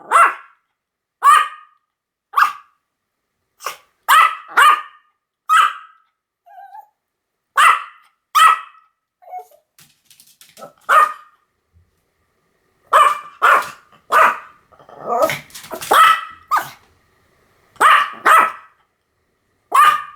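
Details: Pomeranian barking again and again: sharp, high, yappy barks in irregular bursts of two or three, with short silent gaps and a few faint, softer sounds in between.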